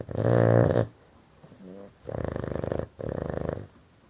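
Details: A male Boston terrier snores loudly in rough, rattling breaths, each under a second, while sleeping with his eyes open; he snores all the time.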